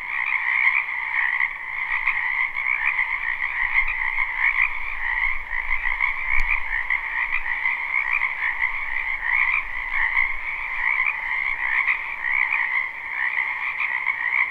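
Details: Many frogs croak together in a spring wetland behind a house, live and unlooped: a dense, continuous chorus with two steady bands, one low and one higher and brighter, shimmering with overlapping pulses; a faint low rumble and one brief click near the middle.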